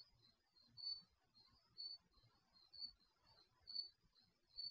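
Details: Crickets heard at night via the built-in mic of an HD garage surveillance camera, chirping in high, evenly spaced bursts near once a second while a second, quieter insect fills the pauses; faint low hum below.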